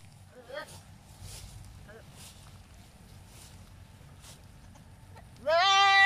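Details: Philippine native goat at breeding time, male and female behaviour around mating; faint scattered sounds, then one loud, wavering bleat with a rich harmonic tone that begins near the end and is cut off.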